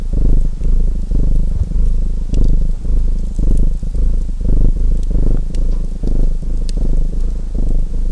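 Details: A purring domestic cat gives a deep, buzzing rumble that pulses with its breathing about twice a second, while occasional sharp clicks and snaps from a burning fireplace punctuate the sound.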